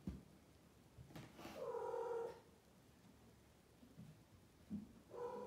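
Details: Female blue Maine Coon cat talking at home: a single drawn-out, slightly falling meow lasting close to a second, followed by soft chirrupy murmurs and the start of another meow, with quiet background hiss.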